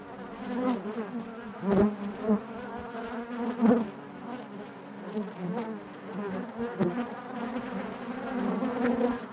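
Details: Deep, steady drone of a honey bee colony inside the hive, many wings humming together, punctuated by several sharp louder buzzes of individual bees passing near.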